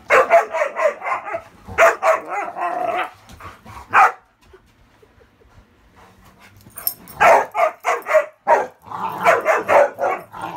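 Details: Ravyn, king of the bed, fending off Kyla and Knight in playful indoor roughhousing on a muddy day, using her rarely heard high-toned play bark; fast volleys of barks, a brief lull near the middle, then barking picks up again.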